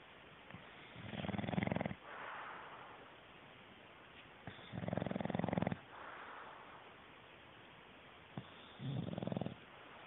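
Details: English bulldog deeply asleep indoors, snoring in three long, low, rattling breaths spaced about three to four seconds apart, each a harsh vibrating rumble with quieter exhales between, over a steady background hiss.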